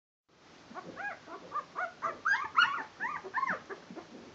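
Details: Barbet puppies, twelve days old and starting to stagger around on their legs, give a rapid series of short, high whimpers and yelps, rising and falling, overlapping one another almost continuously.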